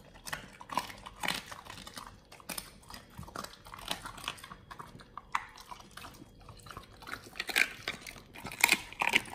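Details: Pit Bulls gnawing a raw meal of frog legs, soft shell crab and duck feet, with bright crackling crunches and bone-cracking bites at uneven intervals, brief quiet pauses between, indoors.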